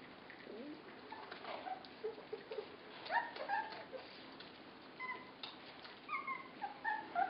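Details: Puppies 24 days old whimpering and yipping while being fed, a run of high, thin squeals and whines, some rising and falling, overlapping in quick bursts against faint background noise.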